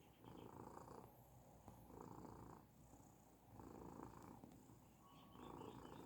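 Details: Persian cat purring, a low rumbling drone rising and falling in long swells of about a second each, with faint high clicks and a brief whistle-like tone near the end.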